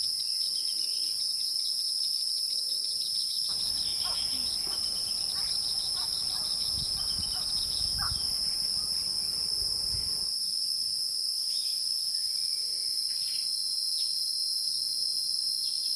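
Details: Wild insects hold an unbroken high-pitched two-tone buzz throughout. In the middle stretch, louder rustling broadband noise and rapid ticking pulses rise beneath it, then fade away, leaving the steady insect whine.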